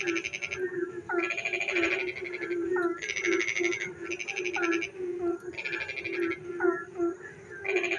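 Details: Night chorus of frogs during rain in a village setting, loud trilled croaking bursts roughly every second or so alternating with quick upward-bending chirps, a constant humming background underneath.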